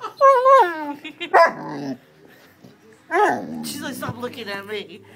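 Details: A female Great Dane barks on seeing herself on camera for the first time. Two loud, abrupt barks are separated by a short pause, with a person's voice talking and exclaiming around them.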